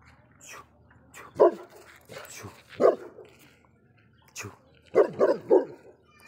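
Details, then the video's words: Saint Bernard dog barking: several short, deep barks at irregular gaps, some in quick triplets near the end, with a man repeatedly saying a short command in Polish between them. "attitude Saint Bernard dog"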